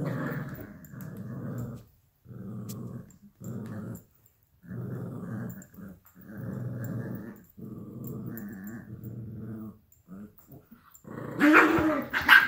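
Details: Luigi, a 12-week-old Alaskan Klee Kai–Pomeranian puppy, and Pooki, a 7-year-old American Eskimo–Chihuahua mix, tussle over a toy fox; steady low growls repeat in pulses about a second long, ending in a sharper, noisier scuffle.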